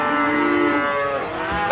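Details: Limousin cattle at Gondanglegi livestock market, Malang, East Java, Indonesia, 12 February 2020: a steady harmonic moo lasting the whole stretch, with market bustle underneath.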